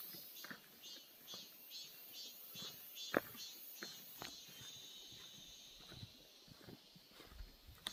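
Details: Summer cicada chorus in a Gyeongbuk birch forest, Korea, heard as rhythmic high pulses repeating about twice a second over a thin continuous buzz, with footsteps and soft knocks below.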